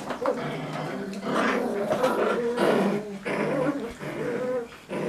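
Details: Playful growls from Cocker Spaniel puppies in a tug-of-war game, rough throaty bursts with short pauses between pulls, a human voice faintly mixed in.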